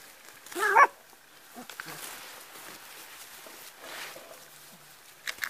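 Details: Border Collie sheepdog puppies: one sharp, loud yelp near the start, followed by softer scattered rustling and faint brief sounds, all in a quiet outdoor setting.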